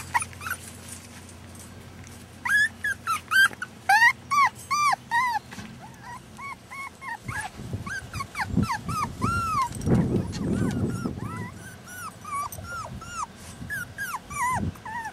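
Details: Rat Terrier puppies, born in rescue in June 2015, filmed in July 2015. Bursts of shrill rising-and-falling whimpers and yips from several pups come in quick runs, separated by softer whines and some low rustling.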